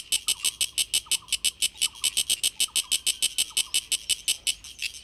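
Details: Sulphogaeana cicada clicking out its tymbal song: a strong, rapid series of harsh broadband pulses, about six a second, steady for the whole stretch, while faint descending chirps sound between the pulses.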